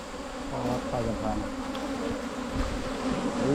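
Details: Wild Asian honey bees hum steadily during a rural Thai honey-hunting trip in 2022, a constant low drone beneath brief murmured human speech.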